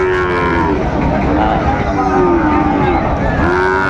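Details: Cattle lowing at Raniganj livestock market in Dinajpur, Bangladesh, on a Monday in mid-December, where Sahiwal bull calves are being sold; a long, steady, nasal moo runs through the whole stretch over constant crowd chatter and market noise.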